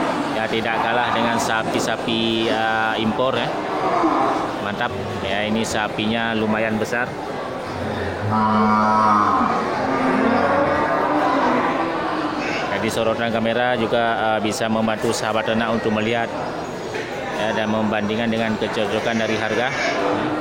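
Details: Big local bulls for slaughter crowd the Geulumpang Payong animal market, 8 May 2021; low, harmonic lowing repeats throughout, several drawn-out moos rising and falling, mixed with speech and the bustle of a busy market.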